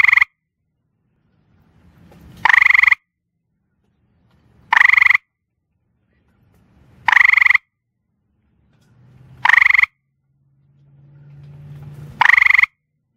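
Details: A gray treefrog calling after dark on a back porch, sitting on rocks or bricks, gives loud, bright, ringing trills about half a second long, every two to three seconds, with soft low rumbles between.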